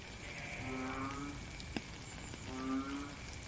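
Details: Frog calling in the rain, recorded in real time outdoors: two drawn-out, nasal, moaning notes about two seconds apart, each lasting under a second, over a steady hiss of falling rain with one sharp drip.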